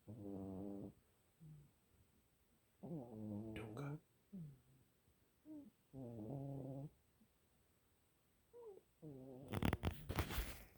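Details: Pet cat snoring in steady buzzy, low rasping breaths, each about a second long and coming every three seconds, with softer short snorts between them, ending in a burst of loud broadband rustling or handling noise.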